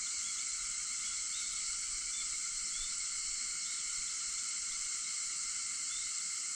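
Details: Cicadas at 4:50 in the morning on 4 August: a steady, unbroken insect drone layered in high bands, with a faint shimmering hiss and no other clear sounds.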